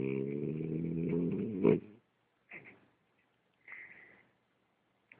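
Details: French Bulldog snoring: a long, low, rough snore lasting nearly two seconds that ends in a sharp snort, then two shorter, fainter snuffling breaths separated by silence.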